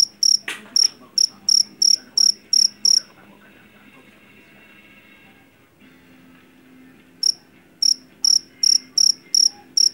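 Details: Javan field cricket, the loud jangkrik jeliteng from rice fields, chirps rapidly at first, then falls silent for about four seconds while a low hum and a click sound, before shrill chirping returns.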